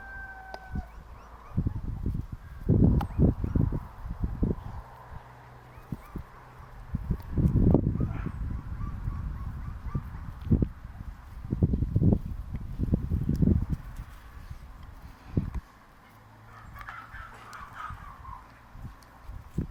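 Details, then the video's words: Dogs barking in deep, loud bursts, clustered in irregular volleys near the start, middle and later on, separated by quieter gaps with a faint steady hum in the background. "Ит дауысы | Dogs Barking Sound Effect | Лай собак"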